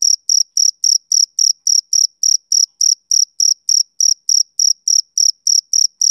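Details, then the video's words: On a summer evening a male cricket keeps up a rhythmic, piercing chirp, bursts spaced evenly at roughly three and a half per second, loud and clear without background noise. "Cricket Chirping Sound Effect"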